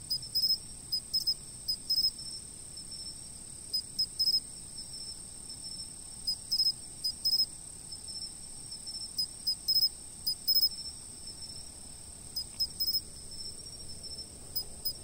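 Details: Chirping insects at a fixed camera position: an unbroken high ringing hum overlaid by short chirp bursts recurring every second or two, the pulses often grouped in twos or threes.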